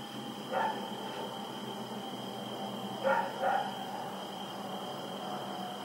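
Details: Night recording from 7 October 2018 of Rex the dog running about: one short bark early, then a quick double bark a few seconds later, against a constant droning hum.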